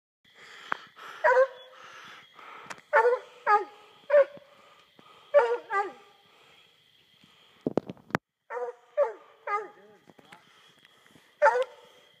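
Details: Coonhounds, including a young English pup and an older half Walker half English hound, bark and bay in short harmonic bursts with falling tails, about a dozen spaced over twelve seconds, one sharp crack near the middle.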